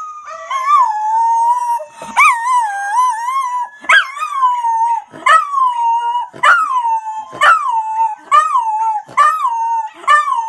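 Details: A Miniature Schnauzer joins in with dogs on online videos, howling in drawn-out, wavering notes broken by sharp yips about once a second.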